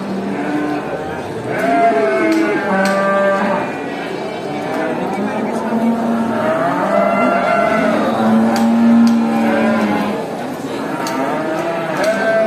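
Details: Herd of many farm cows mooing while being driven back to the barn after grazing in a village; overlapping harmonic moos, some long and level, others rising or falling, steady background murmur throughout.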